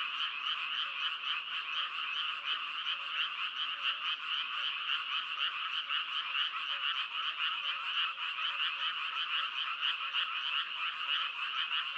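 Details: Continuous frog chorus: many fast, buzzy croaking pulses run together into an unbroken rattling wall of sound, with faint low notes ticking underneath and nothing else audible.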